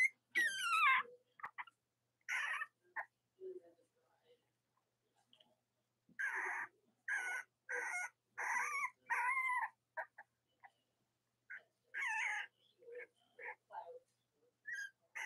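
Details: Young Cavalier King Charles Spaniel puppies, Robin and Myra's litters, on a chilly Monday morning near Halloween in the US, giving wavering, bending whines and short squeaks in bursts separated by brief silences.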